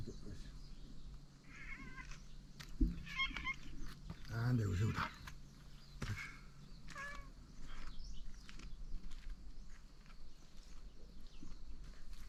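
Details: Cats on Tashiro Island, the cat island of Ishinomaki, Miyagi, Japan, in 2023, crowding round their returning owner in hope of dinner, adults mixed with kittens. Several short, rising-falling meows come in quick succession, over footsteps, light outdoor noise and a few spoken words.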